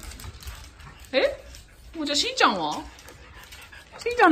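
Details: A French Bulldog at home in Japan, playing hide and seek, gives three short whining cries with sliding pitch, the middle one longest and falling, against a quiet indoor background.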